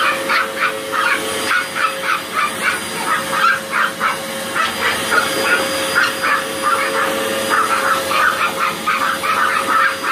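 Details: Two Chihuahuas take on a Hoover vacuum cleaner, firing off rapid, high-pitched yapping barks in uneven bursts, several per second, over the vacuum's steady droning hum.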